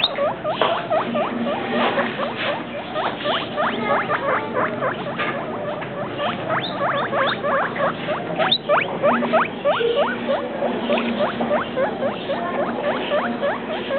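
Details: A long, dense stream of quick squeaky chirps from Travis and Shane, two pet guinea pigs described as two weeks and three days, about three per second, varying in loudness, against continuous low hiss.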